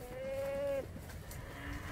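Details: Sacrificial goat brought to a mosque's slaughter place in Surabaya for Eid al-Adha, eagerly eating grass; one steady, level bleat lasting under a second, then quiet background noise.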